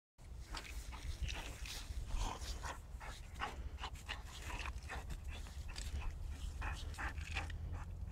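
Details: Boxer dog at play, giving a steady run of breathy, huffing pants in quick bursts about three times a second, over a constant low rumble of background noise.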